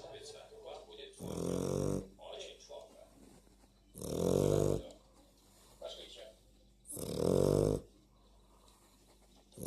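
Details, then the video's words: Dog snoring indoors: three loud, rasping, buzzy snores with a low harmonic drone, each about a second long and spaced roughly three seconds apart, with quiet breathing and faint room noise between. "Собака храпит"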